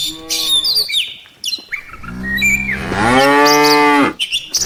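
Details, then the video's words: Afternoon moos from a herd of tame cattle making their way back to the farm pen: a short moo, then a longer call that swells into a full loud moo, over steady chirping birds. "suara sapi desa"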